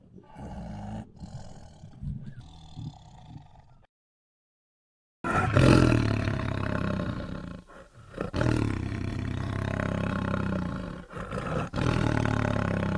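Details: A tiger gives deep, rumbling roars, broken by a brief silence partway through.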